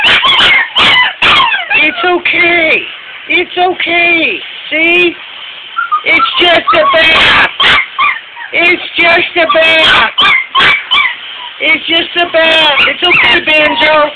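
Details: Unhappy puppies during a bath let out drawn-out, bending whines and brief cries in clusters separated by short pauses, alongside a person's reassuring chatter.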